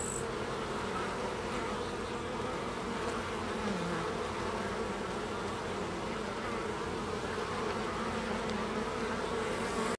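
Carniolan honey bees fill the air with a steady, low, many-voiced buzzing drone.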